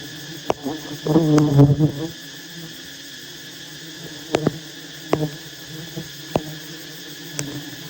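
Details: Wild honey bees at a massive nest being approached and harvested by honey hunters: a low, droning hum with a louder buzzy swell for about a second, over steady humming, with sharp knocks and clicks of handling.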